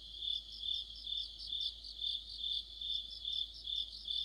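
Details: Crickets and fellow insects singing together in the middle of autumn, a steady high ringing trill broken into rhythmic chirps about every half second, several insects overlapping in one continuous chorus.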